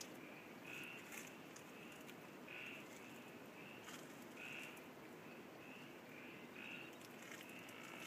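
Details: A frog in Ranomafana National Park, Madagascar, gives short, high, whistle-like notes repeated roughly every second over a steady forest hiss.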